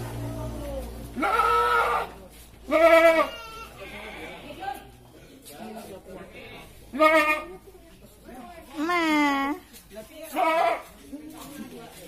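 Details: Goat brought for qurban sacrifice during slaughter, giving several loud, wavering, quavering bleats spaced a few seconds apart, some rising then falling, with people talking quietly between them.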